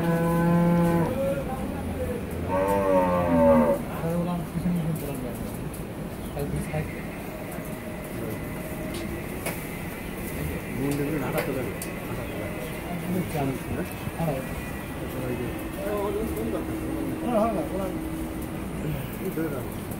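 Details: Holstein Friesian dairy cow with her heifer calf on a farm: two drawn-out moos in the first four seconds, followed by softer mixed farm noise, faint voices and a low rumble.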